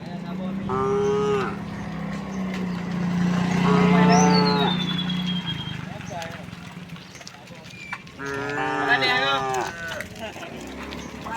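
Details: Tame cows in a herd of dozens walking a village road toward rice fields, mooing three times in long harmonic calls over a steady low hum, with a descending bird whistle in between.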